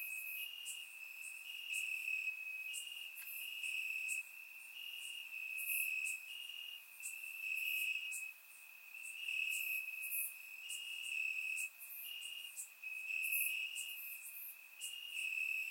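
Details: Crickets chirping in grass on a warm summer night in Bulgaria, recorded with a surround microphone: a steady high trill with brief pulsing swells, other insect buzzes flickering higher above, no other sounds.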